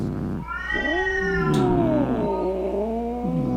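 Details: Domestic cat meowing angrily to scare away rats, opossums and other cats: a short drawn-out growling yowl that dips and wavers in pitch, low hum in the background.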